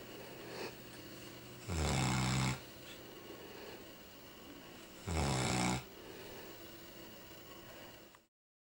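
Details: Newfoundland dog Chester sleeping on a Chesterfield sofa, snoring like a pig: two heavy, low, rumbling snores about three and a half seconds apart, preceded by a faint softer breath.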